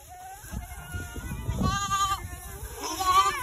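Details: Boer goat does on a commercial meat goat farm in mid Missouri, September 5, 2022, answer a farmer calling them in. Two wavering, nasal bleats, the second longer, over a man's coaxing voice and background music.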